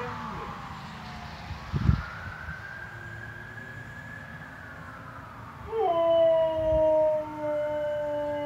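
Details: Loki, a Siberian Husky that howls only at police or fire sirens, answers two passing police cars with a loud, steady, mid-pitched howl.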